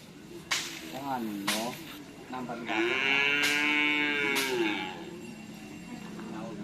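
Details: Cattle during karapan sapi bull race training at Asemanis field, Pamekasan: a rising-falling harmonic moo around two seconds long, with short calls before it, people talking and laughing nearby.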